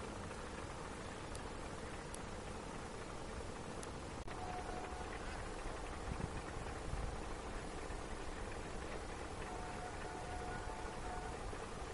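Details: A steady low rumble of wind or a distant engine fills the recording, with no clear animal voice.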